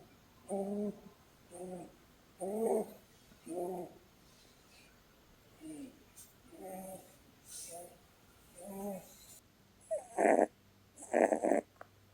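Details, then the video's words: Sleeping female Holland Lop bunny Blueberry snores while being cuddled. There are whistly, harmonic breath notes about once a second, slightly uneven. Near the end come two louder, rougher snorting bursts. "Cuddling with a SNORING bunny!"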